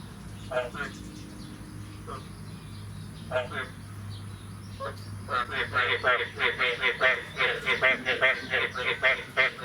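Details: Frogs calling on the morning of 9 May 2022, after the first rain of the year. Short pulsed, rattling calls come singly at first, then build into a dense, rapidly repeated chorus over a steady low hum.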